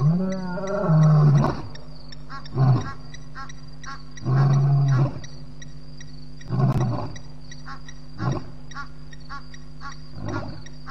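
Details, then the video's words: Loud lion roar just after midnight, 9 May 2017, at the Djuma waterhole in Djuma Game Reserve: one long, deep moan, then a series of shorter grunting calls spaced about every one to two seconds, fading out. "loud roars"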